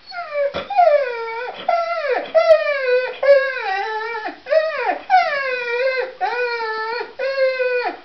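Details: Pet dog singing: a steady series of tonal, whining howls rich in overtones, each swooping up and then sliding down, roughly one per second with short breaks between, and no other sounds.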